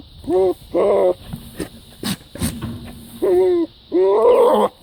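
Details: A goat calling with strained, nasal bleats in two pairs, the later ones longer and wavering in pitch, separated by sharp clattering knocks and a low rumbling hum.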